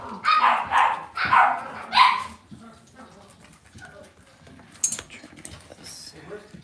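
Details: Cavalier King Charles Spaniel puppies raised indoors in a home puppy pen, giving a burst of four short, yappy barks in the first two seconds, then quieter rustling and faint sounds.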